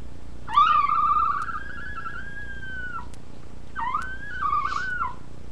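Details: Puppy whining while a person tries to help it nurse from its mother: a long, high, wavering cry that slides slowly downward, then a second shorter one that dips and rises, with clear harmonics and quiet room noise.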